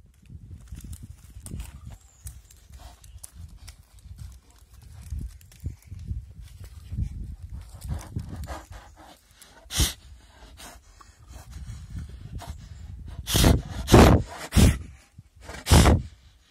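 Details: Rescued sloth bear in a Wildlife SOS sanctuary, breathing powerfully as it does to suck up termites: low rumbling huffs and snuffles, then several loud sharp puffs near the end.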